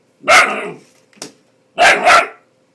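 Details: Rocco, a ten-week-old Bull Terrier puppy, objecting to the hairdryer with loud, harsh barks: one long bark, a short yip, then a quick double bark.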